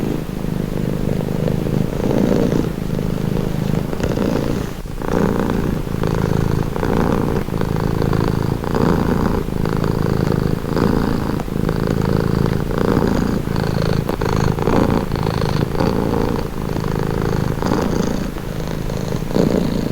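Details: Calming purr of a house cat, a deep continuous rumble that swells and fades with each breath in and out, the rhythmic cycles repeating every second or two, close and clear with nothing else audible.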